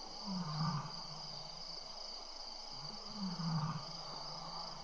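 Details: At the Tembe lion cam near 6 PM on 22 April 2013, with seven lions well fed and at play, a pair of low, throaty grunts sounds close to the microphone, separated by about three seconds of steady hiss.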